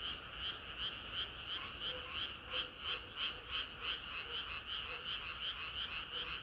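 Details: Summer-night frog chorus with fast, rhythmic croaking pulses about three per second, several callers overlapping, plus a faint lower clucking note recurring now and then beneath the main chorus.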